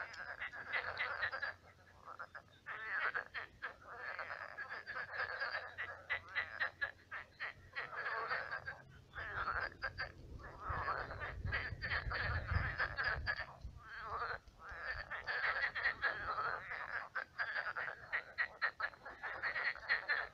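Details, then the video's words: Frogs in a shallow, swampy pond croak in a dense night chorus, rapid rattling calls overlapping almost without pause. "Кваканье лягушек. Лягушки квакают. Ночной релакс"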